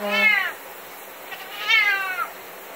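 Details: Indoor cat that hates shower time gives two long complaining meows, the first steady and clear, the second rising then falling away, with running shower water hissing throughout.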